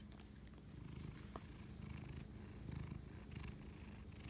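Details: A domestic cat purring at night, 11:07pm on March 25 2019, while bonding with its owner; a low, steady rumbling purr with a soft pulsing texture, quiet room, faint clicks and rustles.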